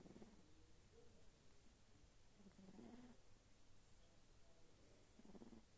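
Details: Sphynx kitten snoring while asleep: quiet, low, buzzy breaths with faint harmonics, recurring roughly every two to three seconds over a soft room hum.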